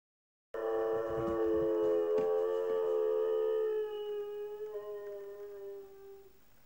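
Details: A dog left at home while its owners are out at the shops gives a long, steady howl that slowly sinks in pitch, as if calling its absent family home.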